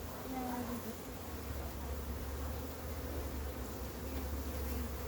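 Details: A massive wild honey bee hive being caught gives off a steady, low droning hum that holds unbroken for five seconds. A faint higher buzzing tone drifts in and out above the deep drone.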